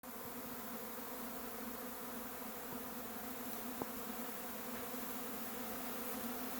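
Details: A honey bee swarm leaving its hive and taking flight fills the air with a steady, low, droning hum of countless wingbeats.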